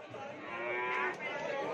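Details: Madrasin cattle, a crossbred Madura cow, being priced for sale: a sustained, nasal, harmonic moo lasting nearly two seconds, swelling slightly in the middle, over a steady background hum of voices and ambient noise.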